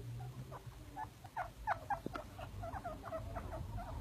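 A baby chinchilla gives a quick run of short, bright squeaks over a low background hum.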